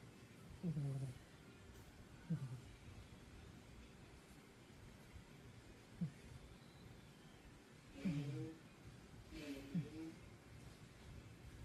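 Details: Black, chubby Scottish Fold cat snoring on a rainy day: low, buzzy snores that slide downward in pitch, about five spread unevenly over twelve seconds, with soft breathy hiss between them.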